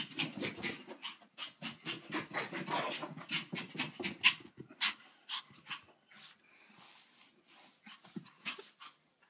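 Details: Pet dog named Andy making odd sounds after filming a homework stunt: rapid, breathy, hissing pants in uneven bursts, about two per second, loud for six seconds, then softer and sparser with a few sharper gasps near the end.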